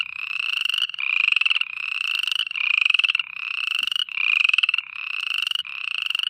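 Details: Frogs at night giving rattling, pulsed trills in bursts of roughly a second, about forty a minute, each slightly rising and separated by short pauses; background otherwise quiet.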